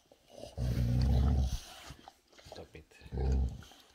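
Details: Boxer Rex, the big brother, irritated while his little brother Sammie bothers him over a special treat; two deep, rumbling growls about a second long each, separated by a quiet gap with soft human speech.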